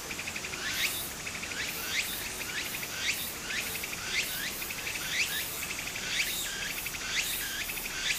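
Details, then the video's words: Summer cicada chorus by a small stream in Japan, a rasping high buzz swelling in rising sweeps about once per second, layered over a continuous shrill insect drone with soft water murmur beneath. "小川の流れと蝉の声 自然音 ～夏～ Japan Sound of nature Cicada's voice"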